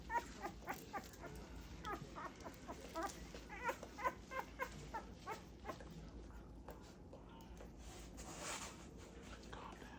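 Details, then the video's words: Bath time for two-week-old Great Pyrenees puppies: soft, high whimpers repeat about twice a second for the first half, then fade into splashing and room noise. "My two week old great Pyrenees puppies first bath"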